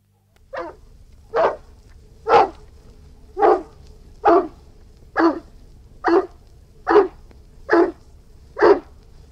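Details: Irish Wolfhound barking in a steady series of ten deep, broad barks spaced roughly a second apart, each short and punchy with strong low-mid body; a faint steady hum lies beneath.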